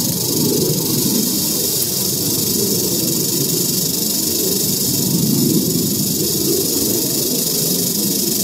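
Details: Eastern diamondback rattlesnake found in Central Florida, rattling steadily: a continuous dry, hissing buzz filling the high range without pause, with low rumbling handling or wind noise underneath throughout.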